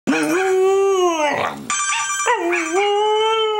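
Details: A Belgian Sheepdog gives two long, smooth howls that rise, then hold a steady wavering pitch, reacting vocally to a phone ringtone she hates, which trills in the gap between them.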